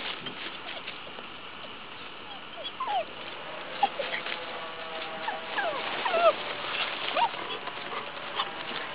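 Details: An 11-year-old female Cairn Terrier, working fox earths, gives thin, high whines and short yips in uneven bursts at the burrow, with a person talking nearby.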